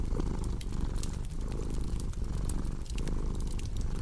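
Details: Purring cat paired with a cozy crackling fireplace: a deep, steady low rumble swelling and easing in breath cycles roughly every three-quarters of a second, sprinkled with sharp wood-fire crackles and pops.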